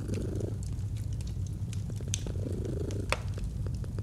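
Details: Low, rumbling purr of a domestic cat next to a fireplace, a soft swell at the start and another midway, with dry crackles and one sharp pop from the burning fire.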